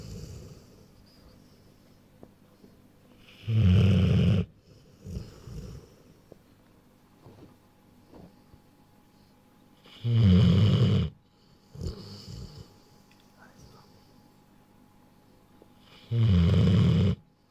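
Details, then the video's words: Rottweiler a little over one year old, sleeping indoors: deep, rattling snores repeated roughly every six seconds, each about a second long, with softer wheezy breaths between them. "Rottweiler (Vigo) Snores"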